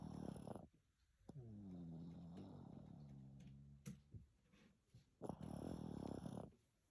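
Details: Pekingese dog snoring after a shower, inside a room: a harsh rasping snort opens, then a long low droning, buzzy breath with wavering pitch, then another rough, noisy snort near the end.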